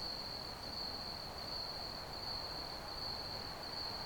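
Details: Brief stretch of cricket chirping: a high, rapidly pulsing trill held steady, set against a dense low rumbling noise bed.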